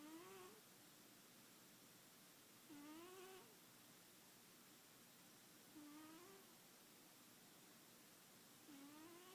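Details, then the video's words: Sleeping house cat, a female, snores softly. Each breath carries a short upward-sliding whistle, repeating roughly every three seconds against quiet background hiss. "Snoring Kitty"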